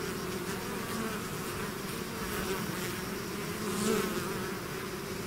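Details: A swarm of bees out of the hive buzzes in a thick, unbroken drone, gently rising in loudness toward the latter part as bees fly nearer, then settling back.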